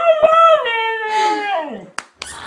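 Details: Indoors, a husky-type pet dog imitates "I love you" with a sustained, harmonically rich moan that sinks steadily in pitch over almost two seconds. It ends with a couple of sharp clicks and a short noisy burst.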